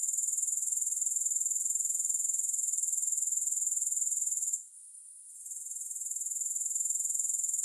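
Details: Grasshoppers give a high, thin, continuous shimmering buzz pulsing about four times per second. The sound drops away briefly near the middle, then builds back. No music or other sounds.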